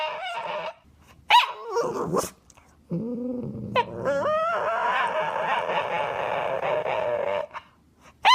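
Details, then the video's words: Dog making funny noises: short yelps and whimpers, then a low groan followed by a long, sustained whining howl with a steady tone, ending with a sharp sound. "Dogs making funny noises"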